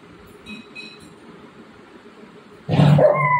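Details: Golden retriever playing with its owner at home gives one loud, sharp bark near the end, after a stretch of low steady hum and faint background noise.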